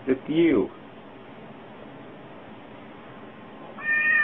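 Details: Domestic cat giving a single short meow that rises and falls over about half a second, followed by steady background hiss and a brief flat tonal sound near the end.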